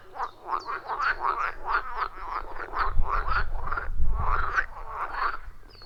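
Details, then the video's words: Frogs calling around a wild pond deep in the forest, recorded on an iPhone 14 Pro with a Shure MV88+: quick rasping croaks in a steady rhythm, with a low rumbling thud rising mid-clip. "30 Minutes of Frog Sounds at a Forest Pond"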